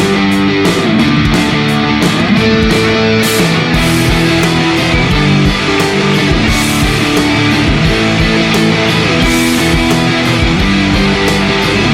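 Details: Loud rock music with distorted electric guitar and drums fills the whole stretch, with no animal sound heard.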